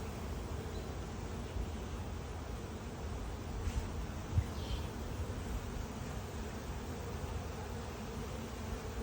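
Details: Honey bees from a swarm that escaped its hive and settled in a small wooden box, with many drones having come out: a steady, low, diffuse humming drone throughout, with no other clear sounds.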